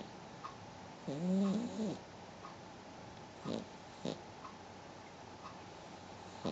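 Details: Penny Pumpkins, a pet dog, snores while asleep: one loud, nasal breath with a low humming tone lasting about a second, then a few soft clicks and quiet breathing in a still room.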